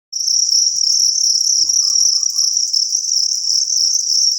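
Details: A copper cricket chirps loudly and continuously, a high shrill trill that barely pauses, among crickets compared for which is loudest.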